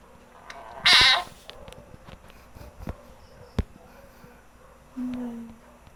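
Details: Percy, a domestic cat that hunts frogs every night and plays with them, gives one short, loud, harmonic meow about a second in, followed by faint rustling, clicks and a brief low hum.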